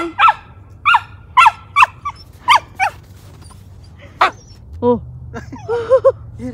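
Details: Yuriko, a four-month-old female Siberian Samoyed walking on a leash in a snowy park one morning, gives a string of rapid high barks, roughly two per second, then a few wavering whiny yowls toward the end.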